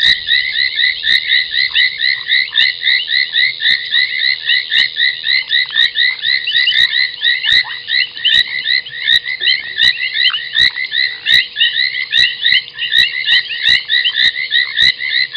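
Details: Foam nest tree frogs calling at night, 23:46 on 30 January 2021, at Gowrie dam waterhole, Djuma Game Reserve, Sabi Sand, South Africa: a dense, continuous chorus of overlapping high chirping croaks, with scattered sharp clicks throughout.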